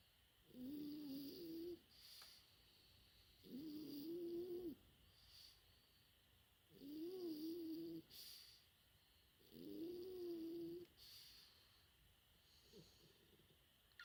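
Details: French Bulldog puppy aged four months snoring while asleep, four buzzy wavering snores about every three seconds plus a shorter fifth, faint hissing breaths between them.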